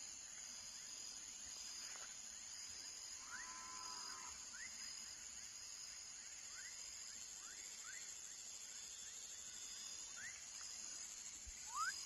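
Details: A baby frog gives short, quick upward chirps at uneven intervals over a steady, high insect chorus.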